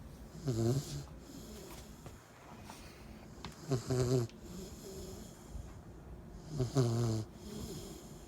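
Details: Cane Corso puppy, 10 weeks old, asleep and snoring: three low, rattling, throaty snores spaced about three seconds apart, each a short harmonic burst, with quiet breathing between them in a still room.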